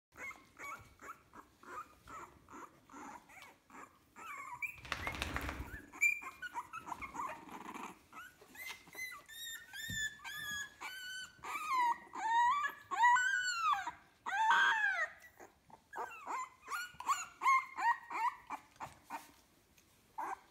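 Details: Fifteen-day-old puppies from a kennel litter whimper and squeal indoors, with many overlapping high, arching whines that rise and fall, growing denser and louder midway, plus a brief burst of rustling noise early on.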